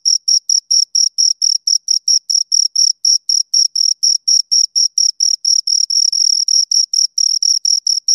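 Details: Two crickets chirping close up, a steady run of short high-pitched pulses repeated about twice a second with a faint upper overtone, clean and uninterrupted with no other sounds.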